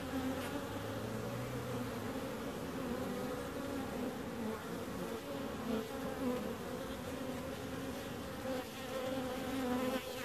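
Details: Bees droning in a steady multi-toned hum, one lower buzz sliding briefly near the start, then an even chorus with small surges of loudness.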